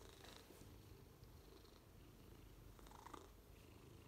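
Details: Ragnar, a 6-year-old Maine Coon cat waiting for a home, purring indoors: a soft, steady low rumble running throughout with no breaks, and faint scattered clicks above it.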